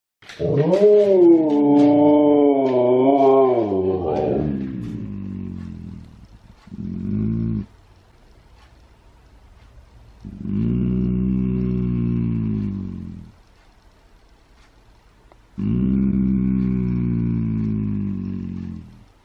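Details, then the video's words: Husky at home: a wavering, rising and falling howl for about four seconds, then a short low growl and several separate low, rough growling bursts of two to three seconds each with quiet gaps between. "How Domi gets the huskies to howl"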